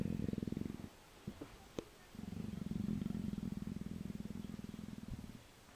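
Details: Persian leopard, nuzzling, purrs in a deep pulsing rumble, pauses about a second amid light knocks and a click, then purrs steadily again until the end.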